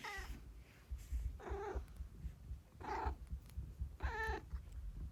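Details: Domestic cat indoors, growling with pleasure while being massaged: four short moaning growls about every 1.3 seconds, each about a second long, over a steady low purr.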